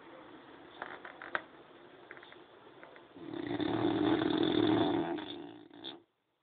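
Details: A French Bulldog asleep indoors. A few soft clicks and small rustles come first, then one drawn-out, raspy snore swells for about three seconds and fades.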